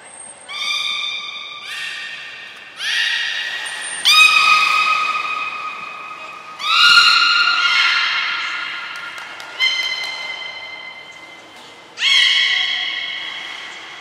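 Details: Beluga whistles recorded during training of Gray and Mirai at Port of Nagoya Public Aquarium on 15 June 2022: a run of strong harmonic calls, flat and gently falling, repeated about every two seconds, with a hall echo.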